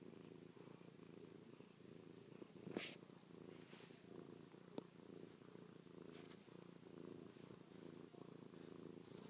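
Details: Chloe the cat, pressed close and licking and pawing her owner's face, keeps up a deep, even purr; a couple of sharp rustles and clicks of movement break in near the three-second mark.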